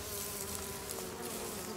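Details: Honey bees around hives in Corsica, buzzing in a steady, droning hum with a low tone held throughout the short stretch.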